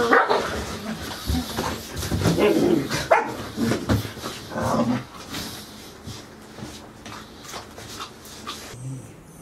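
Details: Golden Retriever puppies at 110 days old, four of them present, filmed 13 August 2018; a burst of short barks and yelps crowds the first five seconds, then fades to scattered softer sounds with faint voices behind.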